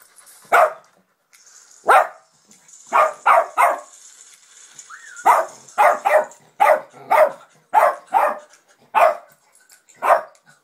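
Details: Pet dog barking indoors at a Pets at Home television advert, a string of about thirteen sharp, loud barks, some single and some in quick bursts of two or three, with a faint high tone from the television behind.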